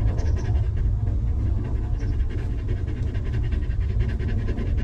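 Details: Stray mother dog living rough with her litter of puppies, later given shelter and food; quick, breathy panting bursts repeat rapidly and steadily over a heavy low rumble.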